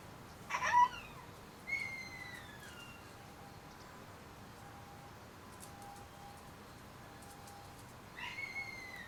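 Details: {'caption': 'Shiba Inu puppies, 30 days old, at a kennel: a sharp high whine, then a longer falling whimper about a second later, and a final brief whine near the end, against a quiet indoor background.'}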